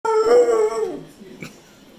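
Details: Pit bull dog talking back to its owner indoors: one loud drawn-out howling vocalization, slightly rising then falling over under a second, followed by quiet, then a person speaking.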